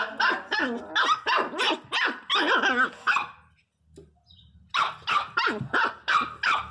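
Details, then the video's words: Angry pinscher puppy giving rapid, high-pitched yapping barks in a fast, uneven burst, a brief quiet pause near the middle, then another quick run of sharp yaps. "Filhote de pinscher 0 bravo"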